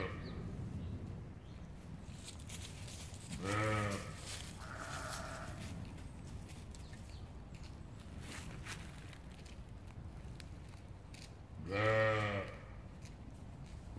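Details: Sheep at play with a Boxador puppy, bleating twice about eight seconds apart; each call is a quavering, nasal baa that swells and fades, with rustling and a brief higher tone between the calls.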